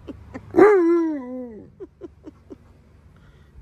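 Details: Alaskan Malamute, one of two giant dogs named Tonka and Monroe, voicing displeasure over their green, leaf-filled pool: one strong harmonic howl that rises then slowly falls over a second, followed by several short soft yips.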